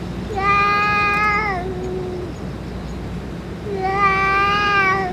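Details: Stray boss cat, after food and medicine, utters two sustained meows with strong harmonics, the first trailing off into a falling tail, the second rising back after a quiet gap.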